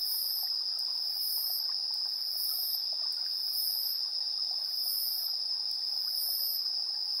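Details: Evening insect chorus recorded 3 September 2022 at 7:04 PM with a TASCAM Portacapture X8 built-in stereo mic; a constant shrill trill holds beneath shimmering, very high chirp bursts that return about every second.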